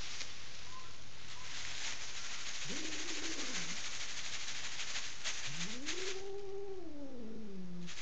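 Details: Furious female cat in a bedroom in Kitchener, Ontario, Canada, resisting removal from her owners' bed and disliking strangers; two low, drawn-out moaning growls, the second longer and wavering downward, over a steady hiss.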